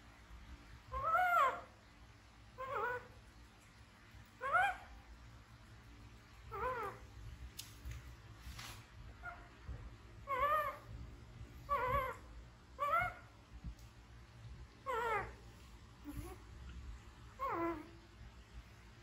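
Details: Baby monkey Bean, an orphaned infant picked up from the jungle by villagers, gives short, tonal, wavering cries, each rising then falling, repeated roughly every one to two seconds over a faint steady background hum.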